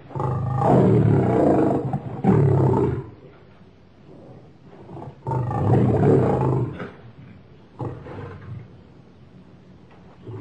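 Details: Deep lion roars, two long loud bursts around three and a half seconds apart, followed by fainter grunting calls that taper off.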